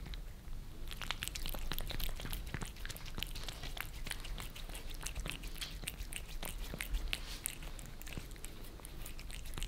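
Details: Two domestic cats in Germany, Maine Coon Lissy and British Shorthair Fritz, eagerly lapping favourite creamy treats on glass, heard from below; dense, fast tongue-clicks and wet pops, briefly quieter at the start.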